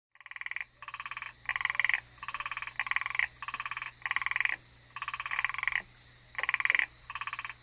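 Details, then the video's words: Frog calling on Amami Island, Japan, either Ornate Narrow-Mouthed Frog or Hallowell's Tree Frog: short rasping pulsed croaks repeated about every half second in steady bursts, one caller standing out over quiet background. "Frog call at Amami."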